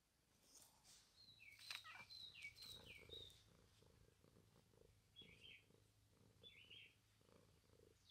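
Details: Domestic cat purring, a soft rhythmic rumble that swells and fades in steady pulses about four times a second, while small birds chirp and twitter in the background.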